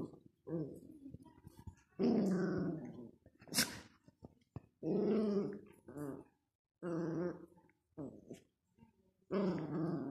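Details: A piebald dachshund puppy gives a run of throaty growls broken by short, higher yips and whines.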